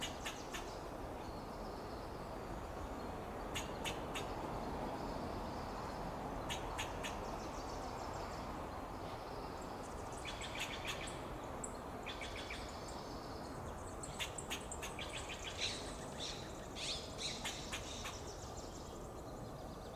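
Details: Fox squirrel alarm calls while it forages on an oak tree in Del Monte Forest, California. Clusters of short, harsh chattering bursts recur every few seconds over a constant low rushing background noise.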